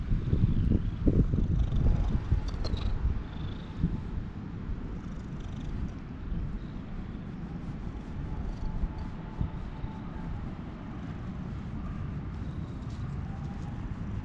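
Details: An orange tabby stray cat petted outdoors on a GoPro HERO8 while a brown tabby barges in; a thick, low, rapid purr drones throughout, louder handling rustles at the start, a faint whine in the background.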